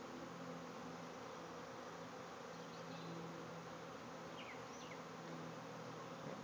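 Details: Backyard hive releasing a swarm of thousands of bees: a continuous, even hum with a slight low drone underneath, and faint, brief bird calls drifting in behind it.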